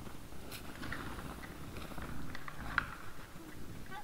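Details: Wild boars at a trail camera on 17 December 2022, 20:17, giving soft, low, purring grunts that run continuously, with faint scattered clicks and rustling.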